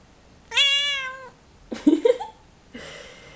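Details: A female Bengal cat gives one long, even meow while being talked to about her new bed, followed by a person's voice replying.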